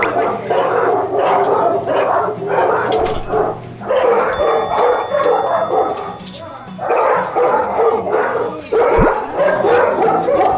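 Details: Large Jindo dogs at a foster home bark warily at unfamiliar visitors: loud, overlapping barks in rapid bursts about every half second, a short lull midway, then renewed barking over faint background music.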